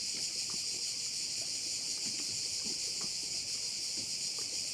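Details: Chorus of crickets at a bay in Korčula, Croatia, forming a constant piercing high buzz with layered bands, even in loudness from start to end, with faint soft ticking sounds beneath and no other clear noises.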